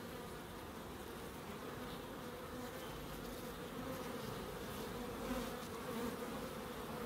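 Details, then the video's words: Many bees droning together in a small wildlife garden at a terrace house in Crookes, a dense continuous hum with faint swells toward the end. "1hr of Relaxing Bees"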